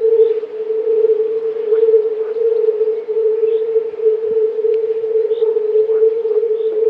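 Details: European fire-bellied toads, a chorus of several hundred calling males, blend their mating calls into a nearly continuous, steady low hooting drone. Faint higher chirps rise briefly above it.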